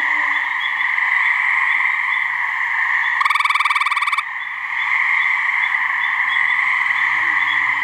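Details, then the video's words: Gray treefrog (Hyla versicolor) in a New Hampshire swamp, one of a pair calling to attract mates. A single loud trill of rapid, even pulses lasting about a second cuts through a constant, shimmering chorus of distant frogs. "Gray Treefrog mating call"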